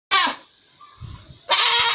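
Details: A black goat gives two loud, harsh, nasal bleats separated by a short pause.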